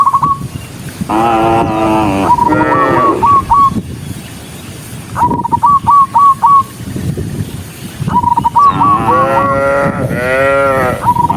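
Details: Dozens of docile cows walking along a country road toward the barn; a few deep, drawn-out moos with rich harmonics, between runs of four or five short whistled chirps repeated in quick succession, over a low rural rumble.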